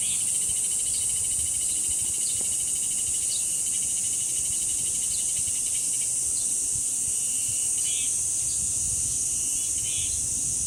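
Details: Continuous high-pitched droning of cicadas at the guardian-tree grove of Deoksan village, an even, unwavering shrill hiss over the whole stretch, with brief scattered bird chirps in the background.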